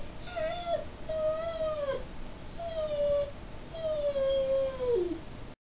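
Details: A Mastiff-Great Dane mix dog gives four steady, high whines in a row, each held about half a second to a second and dropping at the end, slightly hoarse and nasal.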